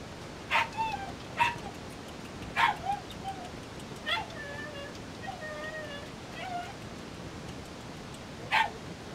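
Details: Three Mame Shiba puppies, 32 days old, with a white pup among them: short high yips scattered through the stretch, at about 0.5, 1.4, 2.6, 4.1 and 8.6 seconds, with soft thin whimpering whines between them over a faint hiss.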